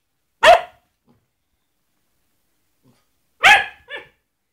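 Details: Basset Hound barking in a playful attack on a glove to scare it off: two loud, rich barks about three seconds apart, the second trailing into a shorter, softer yelp, with silence between.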